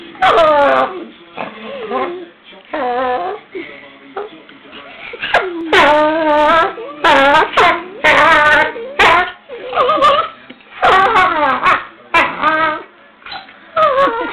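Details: Two dogs, Lenny and Ruby, play fighting and sounding strange: loud, repeated whining, yodel-like howls and moans with sliding pitch, coming in close bursts throughout.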